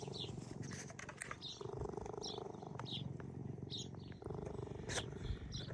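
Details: Two young cheetahs, orphaned at a few weeks old and now kept in a care centre, purr with a steady, low, pulsing rumble and a few brief high squeaks.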